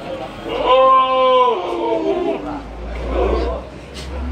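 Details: Very large goat at the Pasar Pon market in Bangsri, Jepara, where Etawa crossbreed and Jawa Randu goats are traded. One steady, harmonic-rich bleat lasts just under a second. Crowd chatter and market bustle follow beneath it.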